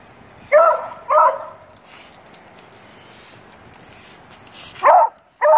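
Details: A young Beagle puppy, seemingly a little afraid of a broom, barks at it in brief, high-pitched, slightly hoarse yaps: a quick pair, a quiet gap, then two more in a row.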